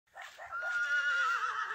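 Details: Horse whinny during the arrival of a Lithuanian Heavy Draught mare brought for breeding to a Soviet Heavy Draught stallion: one sustained, tonal neigh with a slight waver, holding a steady pitch for nearly two seconds, with faint rustling underneath.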